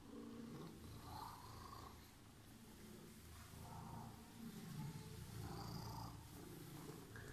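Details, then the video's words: Green-eyed cat that was waiting purrs in a soft, low rhythmic rumble about four pulses per second, swelling with each breath; faint higher murmurs and handling noise on top. "Purring Emerald eyes cat was waiting for me"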